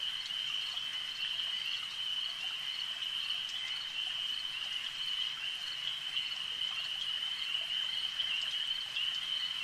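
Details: Frogs calling at a lake: a dense, unbroken high-pitched chorus of trilling voices merges into one steady shimmering tone, with scattered faint clicks and drips above it.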